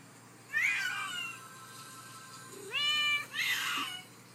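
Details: Sylvie, a domestic cat recorded indoors after her bath, gives two drawn-out, high, bending meows, the second rising then falling, separated by a quiet pause in a small room.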